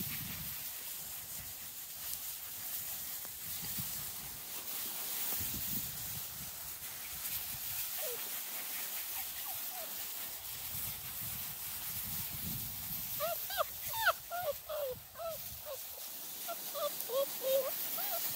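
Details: Six-week-old Small Munsterlander puppies from a litter out in tall grass at Gosch Kennels: long stretches of rustling grass, then a cluster of short, high, wavering whines and yips near the end.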